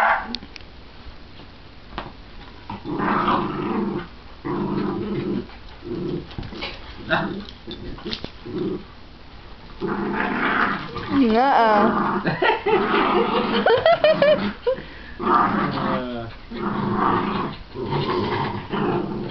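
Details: Two pet dogs playing, a shih tzu/pomeranian mix and a miniature schnauzer. The schnauzer growls playfully while wagging her tail. Low rumbling growls run steadily throughout, broken by scattered barks that grow louder and more frequent in the second half.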